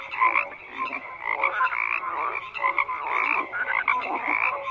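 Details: Overlapping frog calls form a thick croaking chorus, fast pulsed trills and short bright notes repeating without pause.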